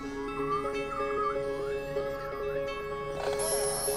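Beluga whale contact calls, with a mother's warbling whistles and a reply linking her with her calf.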